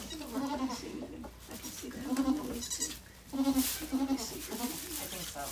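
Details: Rescued mother goat Maybel, taken in from an ex-breeder, gives birth to four kids at Goats of Anarchy; short wavering bleats repeat in bursts about every second or two, with some background voices.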